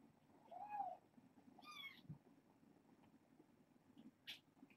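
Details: Bedtime with a litter of six foster kittens born August 29th; a soft falling mew near the start, then a brighter harmonic mew just before two seconds, light rustling and a quiet steady hum beneath.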